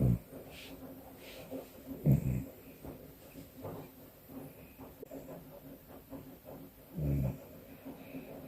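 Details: A cat asleep with its eyes open, snoring: deep, throaty snores come near the start, around two seconds in and again near seven seconds, separated by quieter, softer breathing.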